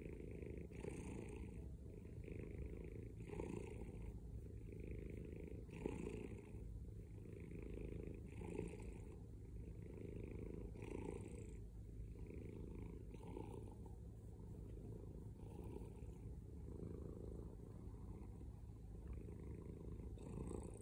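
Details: A male pet cat purrs heavily, the low buzzing rumble pulsing in breath-paced cycles about every two and a half seconds, unbroken and close, the only sound present.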